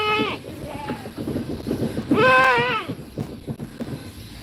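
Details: Goat kids in a goat pen during feeding and play: a short bleat opens, then a long, quavering, tremulous bleat rises and wavers for under a second before fading, over low background rustling and murmur.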